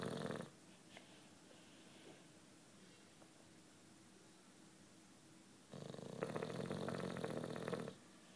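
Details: Juanito, a nine-year-old British Bulldog, snores while sleeping; a brief rasp opens, then a quiet pause, then a long rough rattling snore of about two seconds near the end.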